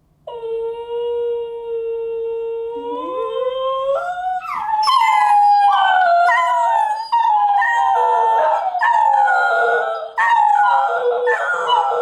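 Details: A dachshund howls in long, wavering tones that rise and break into yodelling, sobbing notes, as happens whenever the owner walks out the door and the dogs want them back.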